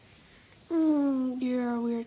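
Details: Pet cat indoors, looking out the window at little birds, making squeaky noises: a loud, steady, nasal tone in two joined parts, each gliding slowly lower, the second starting brighter, over a quiet room.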